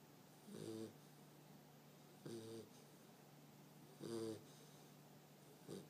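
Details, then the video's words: American Bulldog puppy snoring loudly indoors: three rough, rasping snores spaced about every one and a half to two seconds, each a short harmonic-rich grunt over a steady low electrical hum. "PUPPY SNORING"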